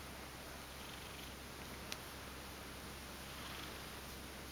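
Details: A drowsy, half-asleep male Ragdoll cat (Felis catus), woken and stroked, purrs softly in a low, steady rumble of affectionate contentment.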